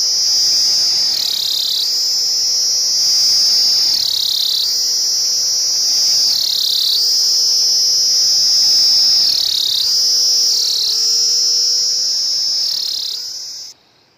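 A cicada gives a loud, continuous high buzzing drone that briefly dips in pitch every few seconds.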